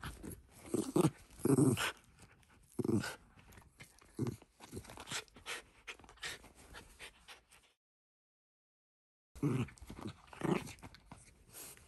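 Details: Ranmaru, a pet Shiba Inu, tussling over a glove with family during play; low grumbling growls and huffs in clusters, loudest early on, then a silent gap before a few more rough bursts with rustling.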